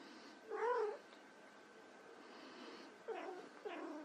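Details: White Persian kittens playing; one clear arched meow early, then two shorter overlapping mews near the end, over a quiet steady hum.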